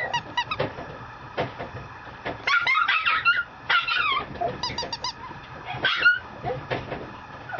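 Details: Young female Mame Shiba, a small Japanese Shiba Inu type, at a breeder in Japan, making short squeaky whines and yips repeated in uneven clusters, with a few louder bent cries mid-clip.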